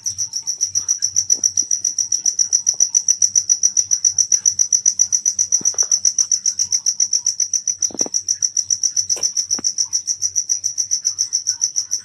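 A night insect gives a high, thin, buzzy trill in steady pulses, about four each second.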